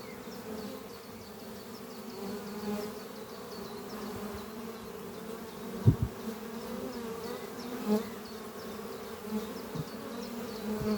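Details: Spring-morning hum of honey bee workers flying at a thriving horizontal hive beneath trees, carrying pollen; continuous layered buzzing, a few sharp taps, and soft repeated bird chirps high above.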